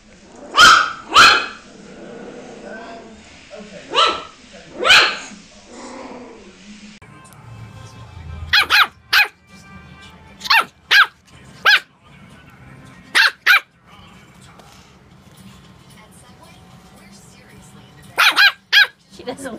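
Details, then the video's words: Puppy barking from a cute puppy compilation: quick high yaps in pairs and clusters, spaced irregularly, with soft background music and faint murmuring between the barks. "PUPPIES BARKING - Cute Puppy Barking Videos Compilation || DOGS BARKING VIDEOS"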